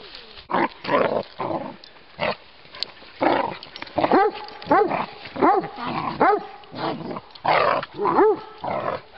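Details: Playful Giant Schnauzers walking in Battle Great Wood, Sussex, a 16-week-old puppy among them and Miniature Schnauzers alongside; short yappy barks rise and fall in uneven bursts roughly every second, with rustling and breathy noise between.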